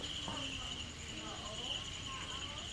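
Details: Crickets kept in a rearing cage give a continuous, steady, high-pitched trill with a fainter higher overtone, while soft speech murmurs in the background.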